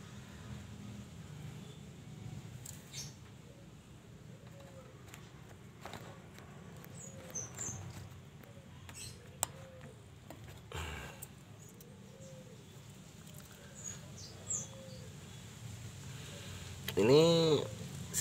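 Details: Persian cat indoors with its four kittens, some three-coloured and some all black; soft arched mews recur faintly every few seconds, then a loud, drawn-out meow near the end, with scattered clicks and rustling.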